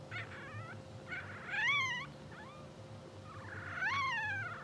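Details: Newborn English Bulldog puppies, two hours old, from a blue sable litter, whimper while sleeping and twitching, with three wavering, arching squeals and a short soft chirp between them, over a low constant hum.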